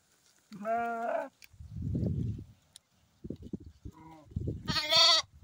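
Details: Morning bleating from sheep and lamb: a short quavering bleat, then a low rumbling noise and scattered knocks, ending with a higher, brighter bleat.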